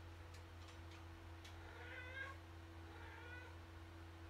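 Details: Male pet cat indoors on a clothes rack, chasing his tail; two soft, drawn-out meows, the first wavering and the second fading, over a steady low electrical hum with a few light clicks at the start.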